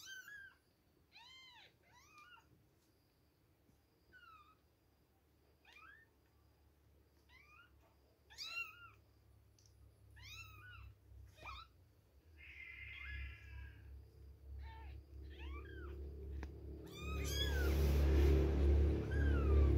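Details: Two-week-old kittens at milk time, mewing in short high arched cries, several overlapping in quick bursts, with a brief rustle midway and a loud low-pitched rumbling noise near the end.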